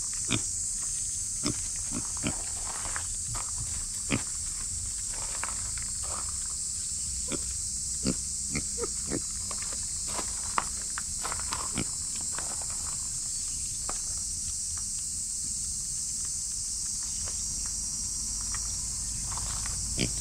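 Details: Noisy cicadas fill the air with a steady, high, shimmering buzz, joined by a young female micro pig's soft snuffles and clicks.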